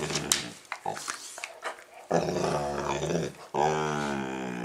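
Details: A Labrador Retriever growls and grumbles during play with a young Rottweiler. Scattered short huffs and snorts lead into two long, deep, resonant growling moans, the last one loud and sustained.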